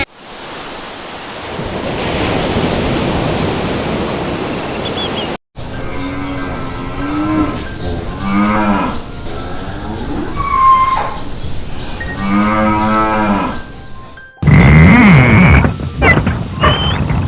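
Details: Cattle lowing within a compilation of animal sounds: after a noisy opening, several drawn-out, harmonic moos rise and fall in a wavering arc, with cuts between segments and a brief grunting call at the end.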